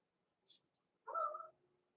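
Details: Young blenheim Cavalier King Charles Spaniel pups, Roman and Blue among the litter, indoors in their pen before Christmas; a faint tiny squeak followed by one half-second nasal whimper with a steady tone.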